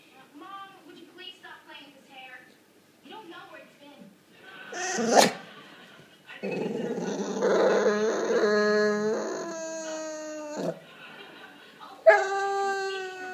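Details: Staffordshire Bull Terrier making funny noises because he is being ignored: short grumbling sounds, then a long drawn-out whining howl with wavering pitch, and a final sharp rising whine.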